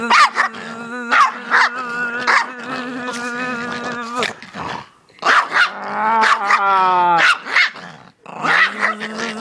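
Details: A dog that hates bees goes wild at a buzzing sound, giving sharp barks mixed with long, drawn-out whining yowls that bend and slide in pitch.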